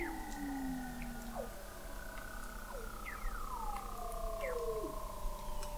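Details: Weddell seals singing under thick sea ice in McMurdo Sound, Antarctica, captured in November 2017 at an observatory 21 m below the ice: long, slowly gliding, downward-sliding tones overlap with shorter drooping whistles against a steady underwater hiss.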